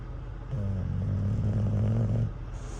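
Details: Cruz, an English bulldog living van life in a converted cargo van, snores while asleep at a truck stop, tired out by a campfire toy: one long, low, droning rasp of about two seconds over a steady engine-like hum.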